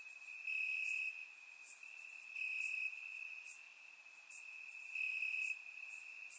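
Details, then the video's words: Grass crickets on a warm summer night in Bulgaria: a persistent shrill drone with brighter pulsing chirps roughly every half second, several insects overlapping steadily. "Cricket Sounds - Crickets Chirping at Night"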